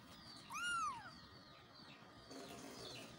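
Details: Kitten calling for its mother: one high, thin arched meow rising and falling, then a quiet stretch with faint background hiss.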